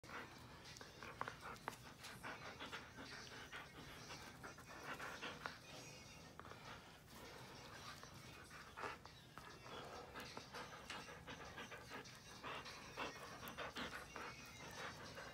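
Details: Siberian Husky panting while playing tug of war: fast, breathy puffs in an ongoing rhythm, mixed with rustling and tugging noises and brief faint speech in the background.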